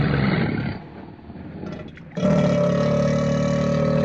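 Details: Wild black caiman giving a deep, harmonic, rumbling growl. A first burst fades within a second, then a louder, sustained, steadily pulsing growl starts about halfway through and continues to the end.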